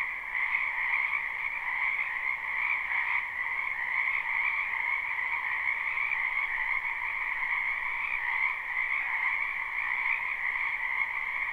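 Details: Chorus of many frogs croaking in a spring wetland behind a home, recorded live: sustained shrill trilling at constant volume, two stacked tones blending into a seamless drone with no other sounds.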